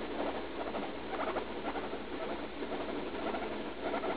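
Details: Leslie, a roughly three-year-old female guinea pig, indoors, in pain while defecating just after eating leaf lettuce, on antibiotics for a suspected UTI; bursts of raspy, pulsed chattering rise and fall in quick clusters, muffled.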